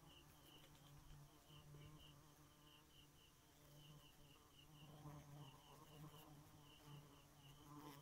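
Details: Bee at night, a low droning buzz rich in overtones that swells and fades in uneven bursts, over a steady train of high, pulsed chirps in the background.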